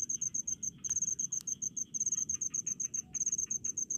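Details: A cricket in rice paddies chirps in rapid, high-pitched pulses, grouped into short trains repeated steadily.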